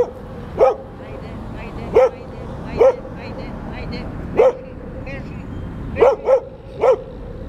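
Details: Street dogs in New Belgrade at play: a roughly two-year-old Šarplaninac mix, an adult male and three pups under a year old; sharp single barks repeat at irregular intervals, about seven across the stretch, over a steady background hum.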